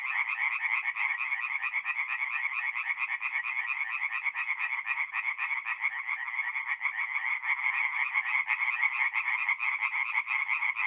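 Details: Several tree frogs sing together by night at a forest pond in north-east Italy in the middle of April, producing an unbroken, buzzing rattle of fast repeated croaks with slight swells in intensity.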